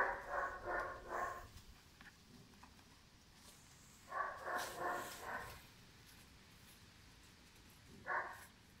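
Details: Five-month-old German Shepherd puppy named Pirat, barking in quick harmonic bursts: a run of about four barks, a pause, another run of four or five, then one short bark near the end, in a quiet room.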